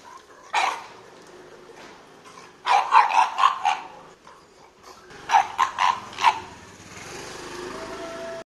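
A pug barks in quick bursts of short, sharp yips, with brief pauses between volleys.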